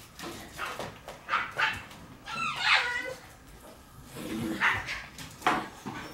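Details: Shiba Inu puppies in their puppy room on 17 March, giving high thin whimpers and short yips, including a rising and falling whine near the middle, with scattered knocks and rustling indoors.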